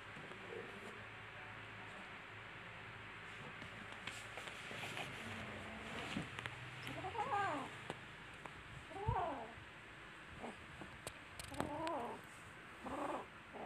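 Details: Kittens playing and fighting with each other, giving a run of short, wavering high meows with rising and falling harmonics, several in quick succession in the second half, over faint rustling and handling noise.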